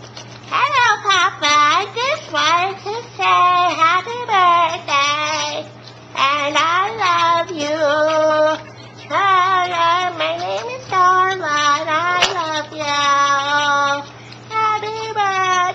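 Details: A five-month-old female Boston Terrier yodels and howls in wavering, sliding bursts, as if singing "happy birthday" to her owner.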